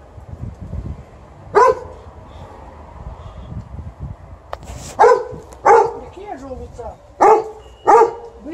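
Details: Alaskan Malamute named Liza greeting her owner as she comes home, with TJ the Golden Retriever also present. There are five loud, short, harmonic yelps and woofs, some bending up and down, spaced irregularly, with soft human talk in the background.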